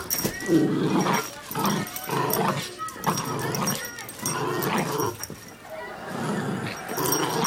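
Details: A Chihuahua playing rough gives low rumbling growls in bursts of about a second, with short pauses between, alongside human speech and handling noise.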